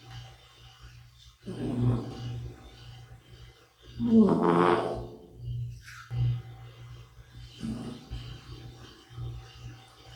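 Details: Snoring of Bota, a sleeping middle-aged cat, indoors: soft rasping breaths rising and fading at uneven intervals, a few seconds apart, over a steady low hum.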